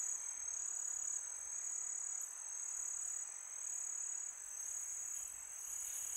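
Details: Summer-night crickets giving a sustained piercing trill that pulses gently in loudness, steady and high throughout, over a soft background of wind.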